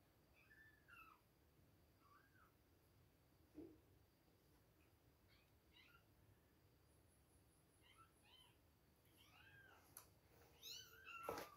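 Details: Two-week-old baby kittens at milk time giving soft, thin mews, some rising then falling, scattered through the clip and clustering toward the end, over a quiet indoor background with a few clicks.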